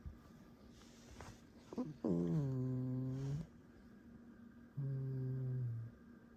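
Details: Alice, a pet fox, squeaking indoors: a few soft scratchy sounds, then two drawn-out nasal whining tones, the first quickly rising then falling and held over a second, the second lower and steady, over faint room hum.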